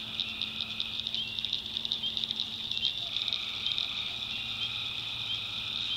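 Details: Tree frogs calling at night in the North Carolina backwoods swamp: a dense, high, steadily pulsing chorus with a fainter lower buzzing trill running underneath, many frogs overlapping continuously.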